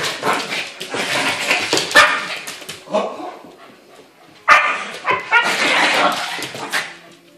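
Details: Dogs playing: a 3½-month-old husky puppy and a roughly two-year-old yorkie-poo. Short, harsh bursts of barking and growling come repeatedly, with a louder flurry near the end. Some human voice can be heard.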